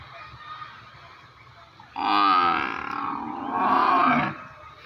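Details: Buffalo bellowing in one continuous, loud call of over two seconds, a hoarse lowing that rises in force toward the end, with a faint hum throughout.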